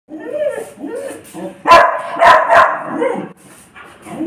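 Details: Dalmatian dog barking: a few sharp, loud barks in the middle, between softer whining or grumbling vocal sounds at the start and end.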